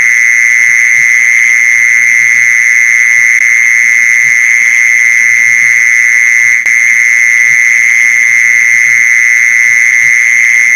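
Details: Mole cricket calling sound for attracting mole crickets: a loud, constant, single-pitched buzzing drone lasting the whole stretch, one short click midway, and faint low tapping in the background.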